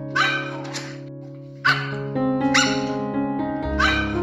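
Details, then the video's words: A puppy gives four short, high yipping barks, spaced about a second apart, over steady background music. "Cutest Baby Animal Sounds: cat, parrot, calf, parrot, dog"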